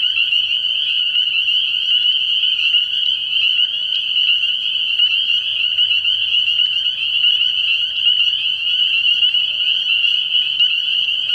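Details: Night chorus of many spring peepers at a frog pond in early spring, their high-pitched peeps blending into a continuous ringing drone with individual notes poking out, and a faint low hum beneath.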